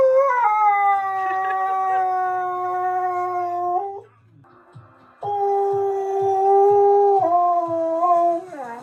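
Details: A male Siberian husky sings in long, sustained howling notes that wobble and dip at the ends.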